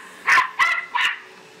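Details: Australian silky terrier Bear barking at a vacuum in the home; three quick, shrill barks in just over a second, the second slightly drawn out, against a quiet steady hum.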